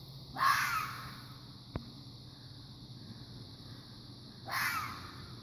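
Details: Fox uttering two rough screeching calls about four seconds apart, each a brief raspy burst, with one sharp click between them and steady low hiss.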